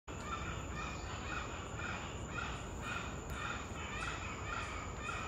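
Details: Spider monkeys in Corcovado National Park, Costa Rica, give harsh, repeated barking alarm calls, about two a second, raised against a nearby puma (mountain lion).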